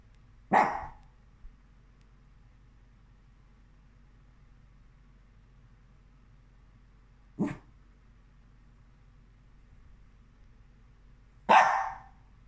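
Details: Havanese dog frustrated by a toy stuck under the sofa barks sharply three times, single short barks spaced several seconds apart, with near silence between them in a quiet indoor room.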